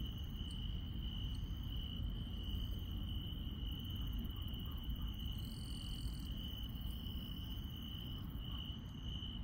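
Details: Insects chirping on a countryside night: a steady, high, unbroken trill runs throughout, with brief higher buzzy bursts near the middle and a few faint chirps. A constant low rumble sits underneath.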